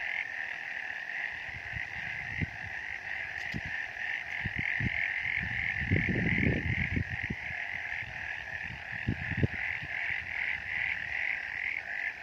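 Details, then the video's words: On a misty mountain, many frogs keep up an unbroken trilling chorus of quick rhythmic pulses. A cluster of low thuds and rumbles swells in the middle. "Frog sounds on a misty mountain"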